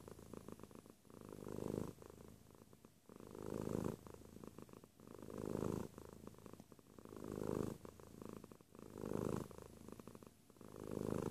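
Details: Cat purring near the microphone: a low vibrating drone pulsing with its breathing, about one swell every two seconds, louder inhalation phases alternating with quieter gaps.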